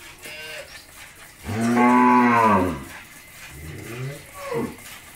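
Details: First-calf Jersey-Mundi cross cow with her bull calf at a Bangladeshi dairy farm in Pabna lets out a single strong, drawn-out moo, full and harmonic, then softer nasal grunts trailing off.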